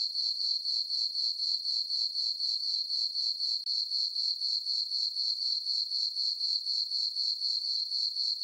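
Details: Crickets sing through a calm summer night in a moonlit farm meadow. Their thin, high, tinkling pulses come evenly at roughly four per second and form an unbroken, uniform rhythm.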